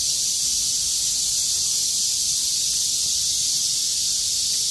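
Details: Cicadas that survived heavy rain sing in chorus on 6 August 2020 after the rain stopped and the sky cleared, rattling their wings with full force; a dense, steady, unbroken high hiss-like buzz fills the whole clip without pause.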